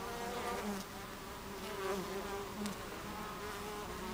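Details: Many honey bees at a hive entrance, recorded on a July 2013 afternoon: a dense, droning buzz with a low fundamental and stacked overtones, individual bees rising and falling in pitch as they pass.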